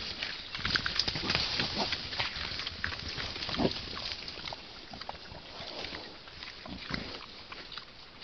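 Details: Wild boar piglet suckling from its sow: a dense, irregular run of short, soft grunting and smacking bursts, roughly three a second, with rustling throughout.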